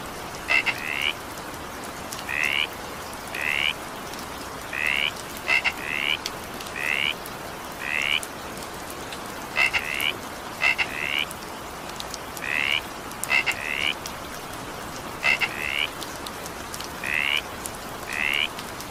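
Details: In an evening downpour, a frog gives a steady series of brief upward-sliding buzzy notes, some doubled, with crisp clicking notes between them, all over constant rain noise.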